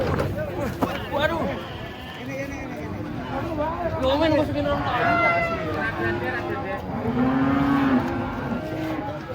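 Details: Giant cattle unloading from a truck produce a string of wavering moos, some rising and falling, one ending in a long steady low note, amid human chatter and engine noise.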